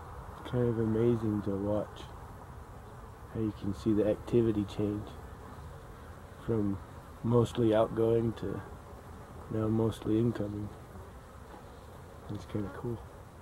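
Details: Humming honey bees, 12-11-23, passing in short bursts of rich, droning buzz, each lasting about half a second, coming in clusters every few seconds with quieter low background hum between.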